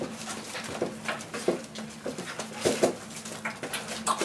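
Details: Boerboel pups, four weeks old and now teething and playing with their mother Aston and other dogs, let out short squeaky whimpers and yelps at irregular moments amid shuffling, clattering room noise.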